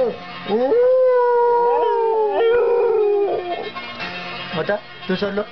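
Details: Pet dog "singing": a long tonal howl that swoops up, holds steady for about two seconds, then slides lower and fades, followed by a few short broken yelps; a person's voice is heard alongside.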